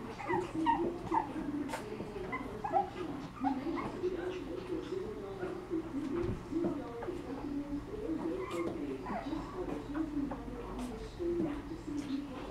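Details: Seven-week-old Shih Tzu puppies whimpering almost nonstop, a wavering, nasal whine that rises and falls in overlapping strands, broken by occasional sharper, higher yips and small bumps.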